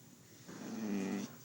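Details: Duke, a pet dog described as talking, gives a single low, droning grumble of about three-quarters of a second that swells and then stops abruptly, in a quiet room.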